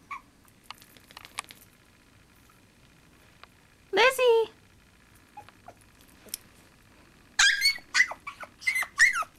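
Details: Chihuahua puppy Lizzie, new to her leash and tied to a chair, gives a single sharp yelp, then after a quiet stretch a rapid string of high, squeaky yelps; faint background noises in between.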